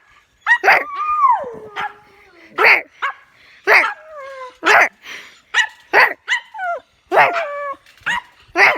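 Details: Pet dog making odd vocal sounds at home: sharp bark-like yips mixed with falling, whining tones that slide down in pitch, about a dozen bursts spaced unevenly.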